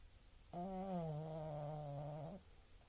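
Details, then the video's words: Oscar the pug asleep and snoring: a single long nasal snore of about two seconds, a steady droning, buzzy tone that dips slightly then holds flat, in an otherwise quiet room. "Oscar The Pug Snoring"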